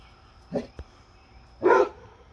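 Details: Two loud barks from Fred, a basset hound with a deer friend: a shorter, gruff woof, then a brief tap, then a fuller, louder woof a second later, against a quiet background.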